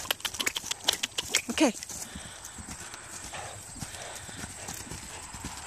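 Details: An off-track Thoroughbred moving on Buffalo Road, hoofbeats clopping in quick irregular strikes over the first two seconds, then fading to low steady background noise; a person calls "whoa" and coaxes the horse.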